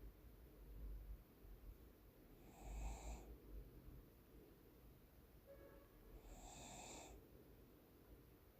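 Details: A sleeping Cocker Spaniel named Deokbae snores at home in the morning, giving two rasping, airy bursts near three and seven seconds, with softer breathing between them in a calm indoor setting.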